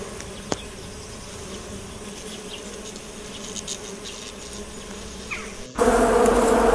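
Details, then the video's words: Bees buzzing in a low, steady hum with a sharp click early on, then a cut to a much louder, fuller buzz for the final second. "Bee noise and its Various Types of Species - noise bees sounds"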